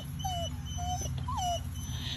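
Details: Alaskan Malamute, one of two excited pet dogs watching a neighbour, whimpering; three short, high, thin whines, each sliding slightly downward, spaced about half a second apart, with a woman talking softly nearby.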